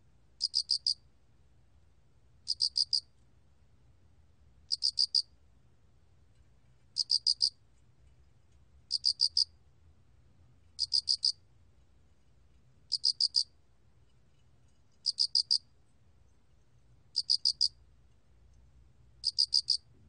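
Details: Alak cricket (알락귀뚜라미), Korea, 2020 National Institute of Biological Resources recording: nine evenly spaced high-pitched chirps, each a quick burst of four pulses, about two seconds apart, against a soft low hum.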